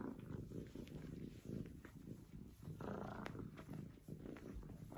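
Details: Low, grainy rumbling from the F2 Savannah kitten Yellow Fellow, jokingly called vicious, pulsing steadily with short dips, plus a sharp click midway.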